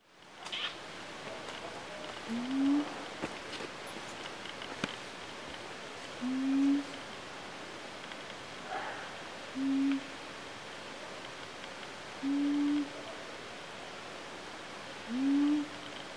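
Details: Wild siamangs in jungle on Mt. Kerinci, Kerinci Seblat National Park, Sumatra, give short, low, slightly rising hoots, repeated roughly every three seconds.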